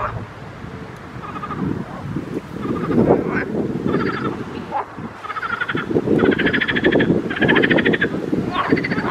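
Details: Pond frogs croaking in rapid pulsed bursts that come closer together and strengthen in the second half. Steady low rumble, like wind or distant traffic, runs beneath the calls.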